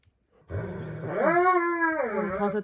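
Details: Roman, a pet Dobermann, fussing dramatically while having his nails clipped indoors: a low rough groan that climbs into a held, wavering howl and then dips at the end.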